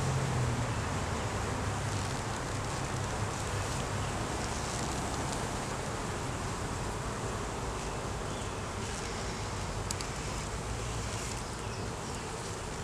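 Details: Honey bee colony humming in a hive under inspection, laying queen and honey present, recorded on a Canon Rebel T6 DSLR. A deep, unbroken buzz dominates, heavy in low tones, with light clicking handling noises scattered through.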